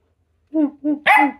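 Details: A female Jack Russell Terrier gives short, sharp barks in quick succession in a barking competition with a person, whose voice answers her.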